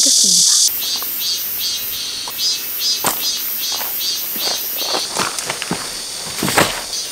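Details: Cicadas singing loudly at Daedunsan Glamping campsite in Wanju, Jeollabuk-do, South Korea, on arrival just after rain stopped: a shrill, high buzzing pulsed in regular bursts, with sharp knocks and clatter from a tent being pitched.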